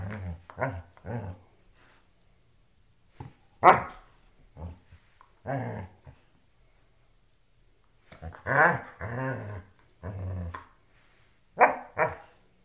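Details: Loki, a pet dog, playing with a shoe: low rumbling growls in short bursts, broken by sharp higher yips and barks, with quiet gaps between outbursts.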